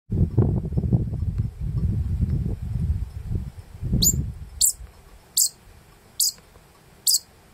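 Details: A Japanese pika, thought to be a male, in the Daisetsuzan mountains in September 2022 gives short, sharp, high squeaks in an evenly spaced series, possibly a territorial call, after a stretch of wind.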